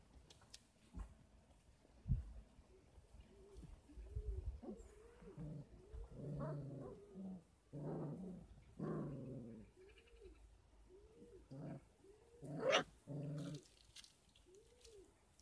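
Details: Kangal pups aged 33 days, raised on a dog farm with extra formula and goat milk. Soft, arched, moaning whimpers repeat steadily, mixed with low grumbling growls and one sharp high squeal, over a faint background hum.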